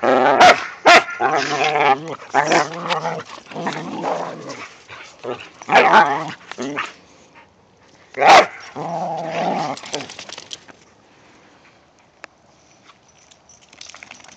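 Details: During a snowy romp, whippets Mikey and Kieran play with companions Wiley and Zoe, snarling and grumbling in nearly continuous rough play noise, punctuated by several sharp bark peaks, before the sounds die away to near quiet after ten seconds.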